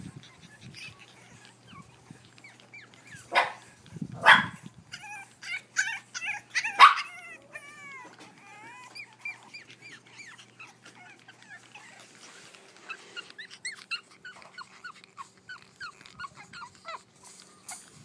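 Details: Boston Terrier puppies, a brother and sister born on 25 February, giving thin high whimpers and squeaky whines in uneven series, with a few louder thumps and rustles early on.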